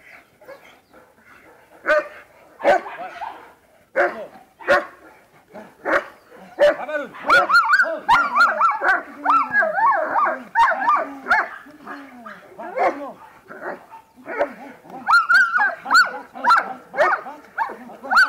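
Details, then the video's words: German Shepherd during protection training, a long run of loud, ragged barks mixed with high whines and yelps, bursts growing denser midway and again near the end, with brief quieter gaps. "pastor Alemão"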